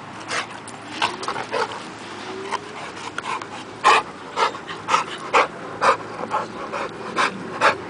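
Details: Two American Bulldogs, Achillies and Nyx, playing together off leash, on Nyx's first day off leash; short harsh broadband bursts repeat about twice a second, rising in loudness toward the end, with panting-like breaths between.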